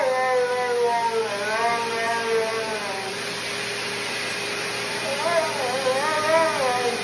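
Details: A Siberian Husky, reportedly in a dryer, howls in long, wavering, tuneful notes that rise and fall like singing.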